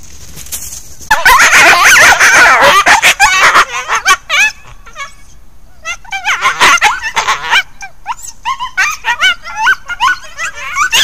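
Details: Resident coyotes interacting at Hallam Lake nature preserve, recorded by trail camera; a burst of high, wavering yips and quavering howls, several voices overlapping, then a string of short sharp yelps and barks.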